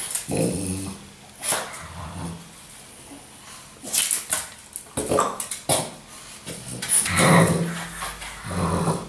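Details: French Bulldog Apple attacking a sweeping broom during housework, sometimes joined by Gus, a one-eyed Chug; low rumbling growls in bursts with scraping, brushing noises between them.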